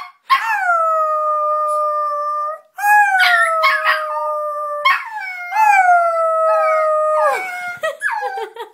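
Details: Brio the puppy, extremely vocal, howls indoors in long, steady, sustained tones, several drawn-out notes in a row broken by short yips, while a person talks to him about going outside to play.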